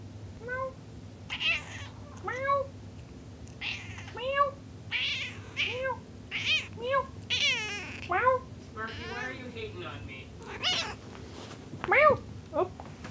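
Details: Sparky, a pet cat indoors, gives a long run of meows, roughly one every second, short rising-falling cries, some strained and harsher, interleaved with a woman talking back to him.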